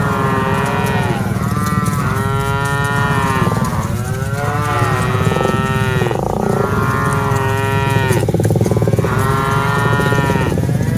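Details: A herd of dozens of cattle being driven along: a run of repeated wavering moos, about one every two seconds, overlapping one another above a dense low rumble.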